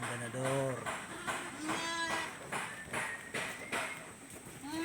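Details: Goats kept on a farm bleat in short, quavering calls, about one every second or so, some rising at the end, overlapping with nearby human speech and farmyard rustling.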